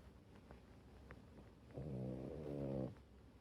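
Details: Sleeping rescue French Bulldog lying on its owner, kept indoors by rain; quiet breathing and small clicks, then one droning, rasping snore lasting about a second with stacked low tones.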